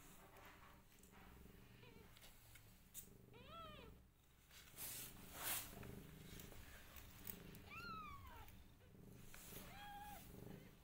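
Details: Rescued family of a mother cat and five kittens indoors: a series of sharp, bending meows spaced a few seconds apart, some rising then dropping, over faint low rumbling and soft rustling.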